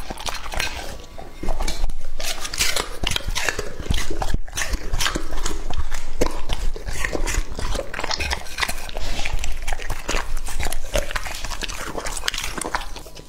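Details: Lucky, a male English Labrador Retriever of two and a half, gnawing raw meat: loud, fast, wet chomps over a deep thudding undertone, with a brief pause near the start before steady chewing resumes.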